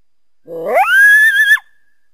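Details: Wild coyote calling through backyard trees on a winter day: one loud howl that starts low and rough, sweeps steeply upward, then holds a steady high note for nearly a second before breaking off abruptly.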